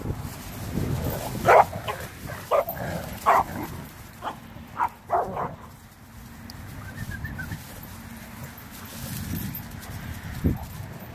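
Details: Dogs at play on Thanksgiving Day 2018, Renascence Bulldogge puppies with a Blue Bay Shepherd and German Shepherd; a burst of short irregular barks and yips in the first six seconds, then quieter scuffling.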